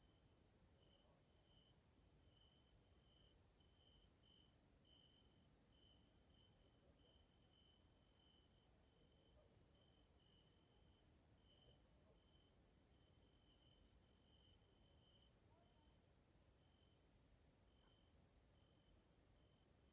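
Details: In a nature area of Hungary on an evening, grasshoppers keep up an unbroken, very high sizzling chorus, while a lower, steady series of brief whistle-like pulses repeats rapidly throughout.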